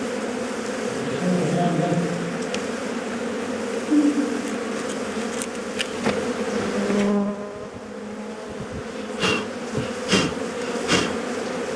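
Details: Honey bees buzzing around a hive being opened for honey by bushmen using primitive methods; a thick continuous drone with shifting hum tones and scattered sharp clicks and knocks in the second half.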